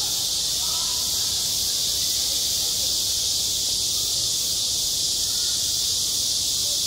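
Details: Summer cicadas shrilling at a school playground: a constant, intense high buzz with a subtle throbbing pulse and no gaps, only the faintest murmur of background voices.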